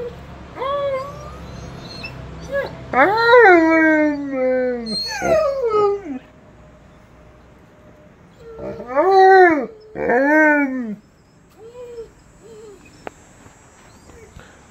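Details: Two pet dogs, a Blue Bay Shepherd named Kurgan and a Lycan Shepherd named Ulu, howling to the monthly tornado siren test: several long, loud, wavering harmonic howls that rise then slide downward, in bursts separated by quieter pauses and soft whines.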